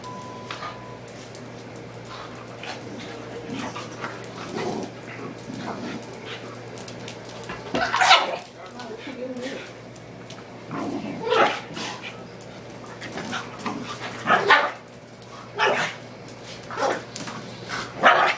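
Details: Two young pet dogs play fighting indoors, a pug-ridgeback and a pug-beagle mix about five months old: scattered short barks and growly yips in bursts, with a woman talking over the scuffling and a steady low hum.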